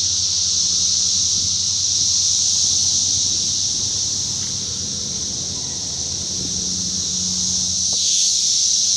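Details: A dense chorus of Brood X periodical cicadas fills woods beside farm crops in Darke County, Ohio, on June 13, 2021, a steady, high, hissing drone; they emerged heavily, crawling up trees.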